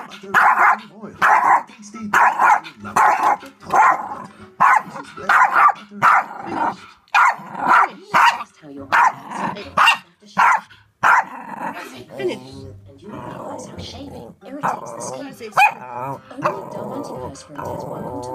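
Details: Rosie, a Yorkshire Terrier, barking at a DVD player indoors: a long series of sharp, high barks repeated roughly every half second to second, turning to looser, more varied yaps and whines toward the end, with some voices heard.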